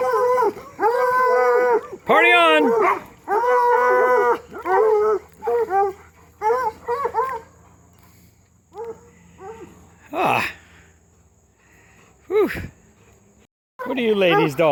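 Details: Hound dogs racing Lucy along a fence, giving loud harmonic bays and howls in bursts of about half a second, several overlapping, with pauses and a woman's voice between.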